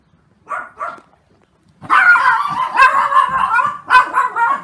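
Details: Puppies around thirty days old, three resting together, with two brief soft whimpers followed by a long stretch of loud, wavering, high whining yelps that run on almost without pause.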